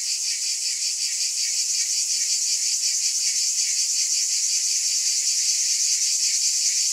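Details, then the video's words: Many cicadas buzz together in a continuous, shrill electric hiss, evenly loud, with a slow, gentle pulsing underneath and no gaps or other noises. "Mmm! Scintillating Cicadas"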